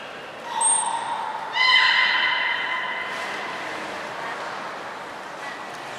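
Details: Beluga Hodoi during a training session for stomach fluid and blood sampling at Port of Nagoya Public Aquarium, 6 January 2019: a short high squeak, then a steady harmonic-rich whistle of about a second and a half fading out, over murmuring background.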